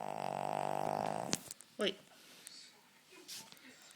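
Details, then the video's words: Chester, a spaniel, snoring indoors: a buzzy, rattling rasp lasting just over a second, followed by a brief squeaky whine-like note and soft rustling in a quiet room. "Chester the incredible snoring spaniel"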